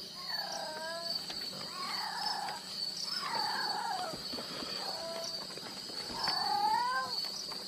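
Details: Wild jungle cat heard at night during a jungle safari night drive: several short, harmonic, meow-like calls that slide downward, in bursts spaced a second or two apart, over a constant high-pitched insect drone.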